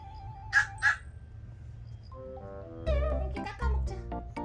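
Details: One of two female Pomeranians, during an encounter with a snake in the yard, gives two quick, sharp barks, followed by cheerful background music.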